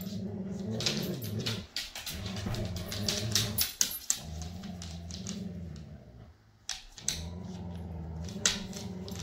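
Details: Foster dog Jude, a Siberian Husky from Pet Harbor Rescue, with his foster siblings in a small room: repeated grumbling growls, each about one to two seconds, broken by hard clacks and thumps of movement.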